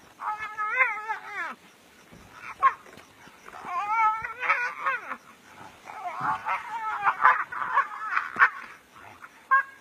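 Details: Two brown hyenas fight seriously in the African bush on January 18, 2016, squealing in high, wavering whines and sharp yelps in quick, uneven bursts.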